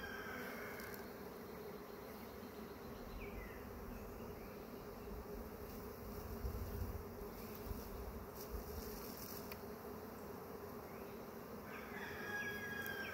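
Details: First honey bee swarm of the year during capture, a continuous low droning buzz of many bees throughout, a low thump midway and faint high squeaks at the start and end.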